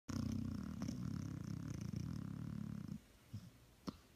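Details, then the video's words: Sleeping puppy snoring: one long, low, rumbling snore that runs steadily for about three seconds, then breaks off. A few soft clicks and shuffles follow in a quiet room. "Snoring Puppy"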